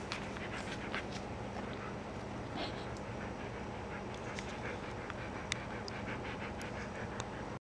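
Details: Samoyed dog named Kloka panting steadily, quick breathy pulses repeating throughout, over a low constant hum.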